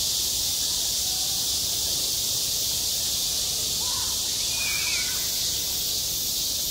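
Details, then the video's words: In summer heat on a school playground, cicadas keep up a seamless shrill buzzing wash, while a short warbled chirp, perhaps from a bird, briefly rises above it near the end. "한 여름 운동장에서 매미가 울고 있다 - 여름의 소리, 학교 종소리, 매미 울음소리"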